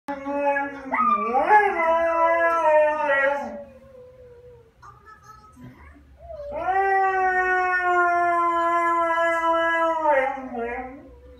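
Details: A Siberian husky cries in long, wavering howls that swoop up, hold steady, then trail off, while its owner urges it outside for a walk.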